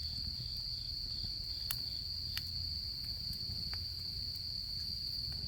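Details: Autumn insect voices in the camping season, a constant high ringing trill without pause, accompanied by soft low fire rumble and several crisp crackles from the campfire.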